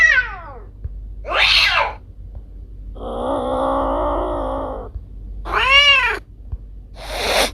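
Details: Varied vocalizing from pet domestic cats Kiko and Koko: a falling call, a short sharp meow, a long low drawn yowl of nearly two seconds, then an arched meow and a final brief cry.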